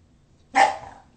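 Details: A bulldog playing in the house gives one short, sharp bark lasting about half a second, fading quickly into a quiet room.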